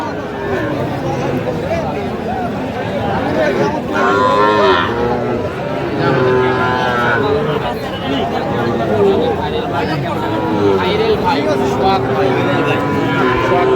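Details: Sahiwal cattle at a Faridpur livestock market on 17 August 2025, where a farmer buys a bull calf; several long, low moos swell out of a steady din of crowd chatter and bargaining voices.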